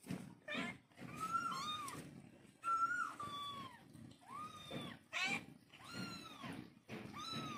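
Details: A mother cat calling to her kittens with a series of drawn-out meows, each rising then falling, some overlapping and layered with higher, thinner cries, separated by short pauses over a low background rumble.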